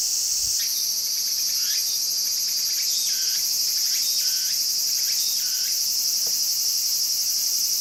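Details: Walker's cicadas singing busily in a garden: a dense, shimmering high buzz with a pulsing texture runs throughout, while fainter swooping, curved notes lower down repeat irregularly.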